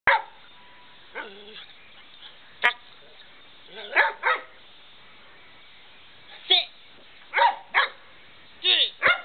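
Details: A dog barks in short bursts, single and doubled, at irregular intervals, while a man repeatedly tells it to get the door and calls it a good boy.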